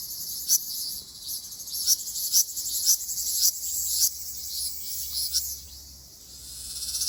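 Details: Ryukyu large brown cicada calling on Okinawa in mid-June, when the species sings in many places: sustained high-pitched buzzing, swelling in short pulses about twice a second, then fading slightly near the end.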